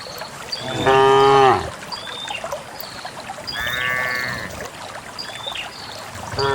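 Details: Herded cows on a path leading to a farm pen; one clear moo near the start, then a fainter, higher call later, with small birds chirping throughout the rural background.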